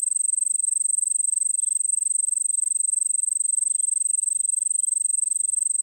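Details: Crickets in the Nilgiris, India, give a steady, very high-pitched trill of rapid, evenly spaced pulses.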